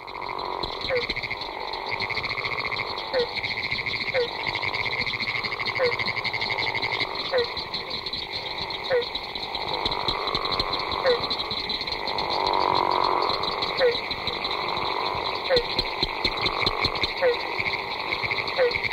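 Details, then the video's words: Florida gopher frogs in a large breeding chorus, giving long snore-like, rough humming calls that swell and fade. Barking treefrogs and pinewoods treefrogs call among them, with short, sharp barks repeated about every second over a dense, steady trilling background. "A Large Breeding Chorus of Florida Gopher Frogs"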